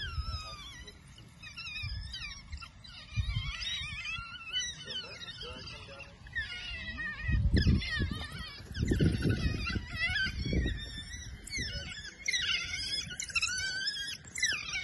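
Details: Several African wild dogs seen on safari in Sabi Sands, South Africa, give a busy chorus of high, squeaky, bird-like chirps and twitters, overlapping and rising and falling in pitch, over a steady low engine-like rumble.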